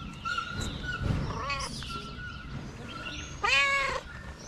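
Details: Street-dwelling tabby cat utters a short meow, then a louder, longer bent meow near the end, over a busy background of faint tones and noise.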